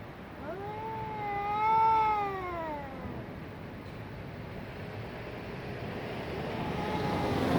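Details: Two domestic cats in a 2023 fight: one loud, quavering yowl swells, holds and bends down over about two and a half seconds, followed later by a fainter wail against low background noise.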